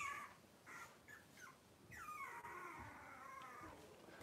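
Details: Cavalier King Charles Spaniel puppies, six weeks old, fussing during deworming and nail trimming. Thin, high whines rise and fall over a noisy, hissing background, with one longer drawn-out cry in the middle.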